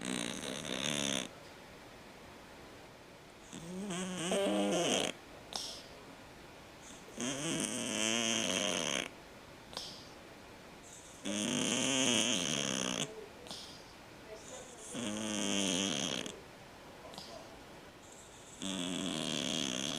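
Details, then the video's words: A sleeping cat snores steadily, each rasping breath lasting one to two seconds and repeating roughly every three to four seconds, with a wavering buzzy tone and hiss on top. "50 shades of snoring Cats"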